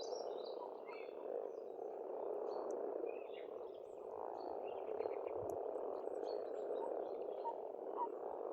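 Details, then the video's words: Spring frog chorus at a pond on a farmstead in Estonia: a dense, continuous croaking drone that swells and fades gently, with faint bird chirps and twitters scattered high above. "Расслабляющее пение птиц и лягушек, весна, природа."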